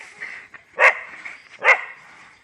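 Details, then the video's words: Dogs fighting among themselves, two sharp harsh barks about a second apart over a steady high whine and background hiss. "When Dogs🐕 fight among themselves !!!! | Canis lupus familiaris fights"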